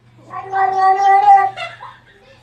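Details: An adopted female cat, found near trash in Antipolo, gives a strange voice: one long, drawn-out wavering meow lasting over a second, rising slightly then breaking into a short higher note, with a faint low hum behind.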